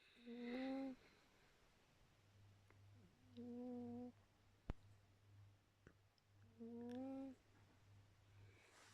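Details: Snoring cat named Khaly: three whistly, slightly rising tonal snores, each lasting under a second and spaced about three seconds apart, over a constant low electrical-sounding hum.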